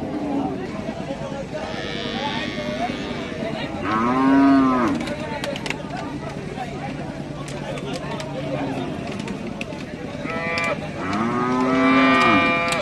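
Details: Calf giving two drawn-out moos about seven seconds apart, each a nasal, slightly falling tone, with scattered clicks and rustling between calls.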